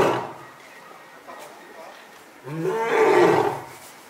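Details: A male lion born in 2017 gives a deep, throaty roar from the belly that swells quickly and fades within about a second, at Asahiyama Zoo, October 2020.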